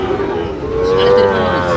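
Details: Sahiwal cattle at the traditional Aftabganj market in Dinajpur, Bangladesh, August 2025: a steady, slightly rising tonal moo over roughly a second amid crowd noise and talking traders.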